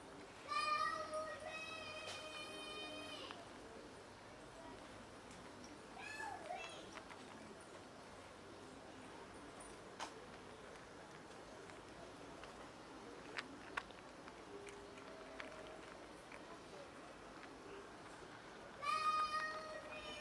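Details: Two pet cats trying to tell their owner something, wanting food: a long, drawn-out harmonic meow opens, then quiet room noise, and another meow rises at the very end.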